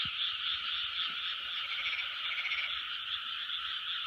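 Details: Frogs calling en masse in 2020, a dense, rapid croaking chorus with a slightly pulsing rhythm and a soft low thump at the very start.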